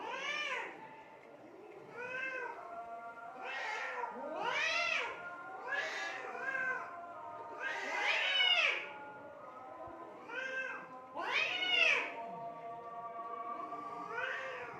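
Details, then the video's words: Cats fighting in Assam, India, trading loud, arched, harmonic yowls. About ten separate wails rise sharply and fall again, spaced one to two seconds apart, with little other sound. "assam cat fighting"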